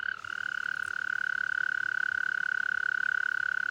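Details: A toad, among toads trying to mate in water, gives a long, steady, high musical trill that holds one pitch without pause.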